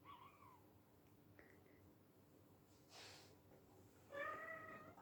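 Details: Young silver Bengal kitten at play indoors, giving faint short mews and then a clearer rising-falling meow near the end, with a soft rustle between.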